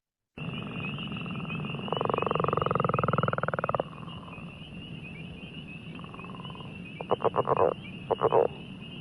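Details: Northern Leopard Frog, a species at risk, giving a call likened to rubbing balloons together: a long rattling snore of fast pulses, then short stuttering grunts, with a high trilling frog chorus running throughout.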